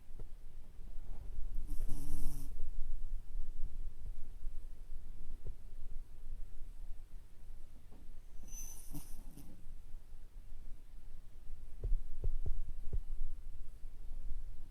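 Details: Sleeping belly-up with its eyes showing white, a Toy Poodle lets out two raspy snoring breaths roughly seven seconds apart, against low background hum with a few light taps near the end.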